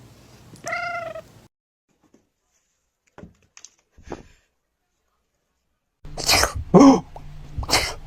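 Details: Domestic cat giving one brief, steady, harmonic meow near the start, followed by a few faint clicks and silence. Loud bursts of laughter and voices come in at the end.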